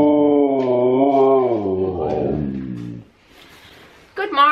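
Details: A Siberian husky greets the morning with a drawn-out, wavering, howl-like vocalisation lasting about three seconds, its pitch rising and falling before it trails off. A person then begins speaking.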